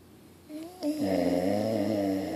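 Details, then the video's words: Pit Bull dog asleep, starting one sustained snore with a soft lead-in that swells into a steady, rumbling drone with a clear buzzing tone. "Snoring Dog - Pitbull Pit Bull"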